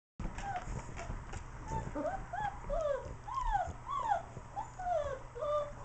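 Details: Four-week-old German Shepherd puppies from Highlander German Shepherds, playing with adult dogs DJ, Tisha and Puggy, crying with a dense run of high, arched whimpers that rise and fall over and over. Low room rumble sits underneath.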